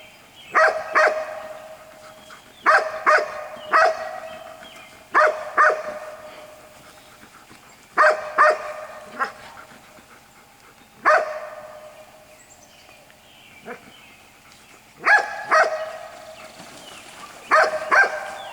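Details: Six-week-old white Golden Retriever puppies, the litter of Jelly and Gabe, give bright yapping barks in quick pairs and triplets, with bursts every two to three seconds and quiet gaps between them.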